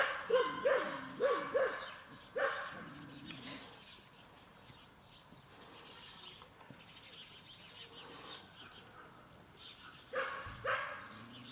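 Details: Ten-week-old Collie puppies of the X litter von der Prignitzerflur in a large outdoor run: four quick high yelping barks in the first two seconds, another near 2.5 s, a pair near 10.5 s, with soft rustling between.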